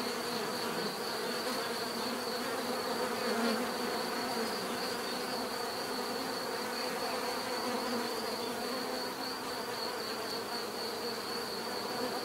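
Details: Swarm-like buzzing of bees, a constant humming wall of sound with faint flickering variations and a steady high whine above it.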